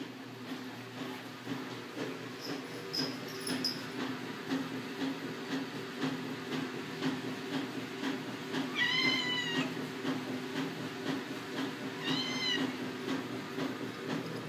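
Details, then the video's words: A female Siamese cat gives two soft, drawn-out, rising-and-falling meows a few seconds apart, asking to be fed. "The sweetest most adorable Siamese cat meow"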